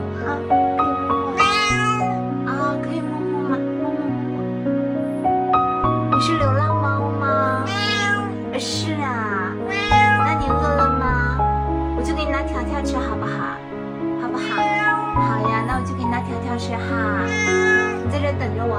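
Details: Friendly pure white cat with different-coloured eyes, waiting at a gate, meows repeatedly and insistently. Many short rising-falling meows come every couple of seconds against steady background music.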